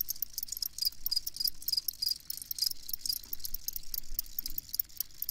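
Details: Field cricket (Gryllus campestris) chirping: rapid high-pitched pulsed chirps repeated several times per second in a steady trill, over a faint low rumble in the background.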